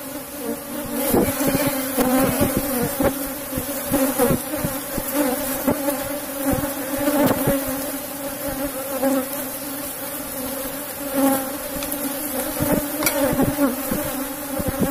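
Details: Asian honey bees swarming over a cultivated box hive while honeycomb is removed: a loud, unbroken drone lasts throughout, with frequent taps and knocks from handling the frames.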